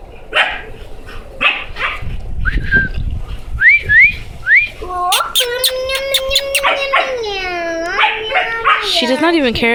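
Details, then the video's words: Female puppy that followed someone into a house, wanting to play and growing tired, gives short squeaky rising whines in quick succession, then a long wavering tonal cry, with a woman talking to her indoors. "Baby dog wants to play"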